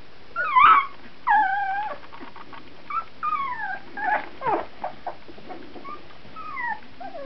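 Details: Fourteen-day-old puppies, 2009: a run of high, whiny squeals and whimpers, several sliding downward in pitch, coming in quick irregular bursts across several seconds, with soft rustling between them.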